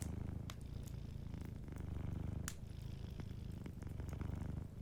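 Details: Sleeping cat purring softly by a warm fireplace: a steady low rumbling purr with a throbbing pulse, overlaid by sharp crackles and pops from the burning fire.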